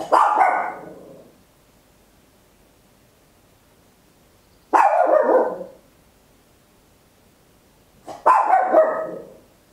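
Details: Loud, high barks from a small Papillon dog recorded at home with an Olympus LS-11 stereo recorder; three harsh, ringing barks spaced roughly four seconds apart, each trailing off over about a second, with near silence between.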